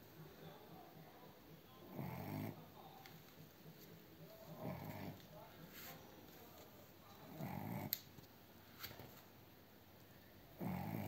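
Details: Cavalier King Charles Spaniel, Blenheim puppy, snoring indoors: soft breathy low snores rising and fading every two to three seconds, quiet between breaths.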